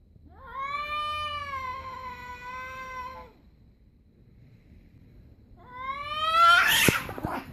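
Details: Stray cat yowling at another stray before a short fight: a long, even, nasal howl for about three seconds, silence, then a rising cry that breaks into a harsh, noisy hiss-like burst.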